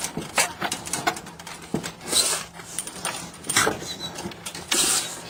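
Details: Chihuahua sneezing indoors: three sharp, breathy bursts of hissing noise, roughly a second apart, each rising above a low background of small clicks and rustles.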